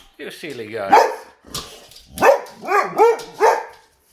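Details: Boxer dogs reacting to a vacuum cleaner, a whining, stretched vocal sound opening, then after a short gap a series of four loud arched barks in quick succession.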